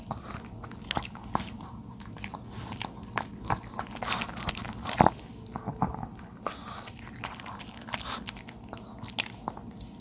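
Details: Thirteen-year-old male dog named Charlie eating napa cabbage indoors; steady crisp crunching bites at uneven intervals, with a louder snap near the middle, recorded close in a small quiet room.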